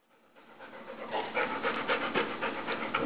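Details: Older Rottweiler-pit bull mix dog making a weird noise with her nose in a new Bernese Mountain Dog puppy's ear on its first day home: rapid rhythmic breathy huffing, about four pulses a second, growing louder.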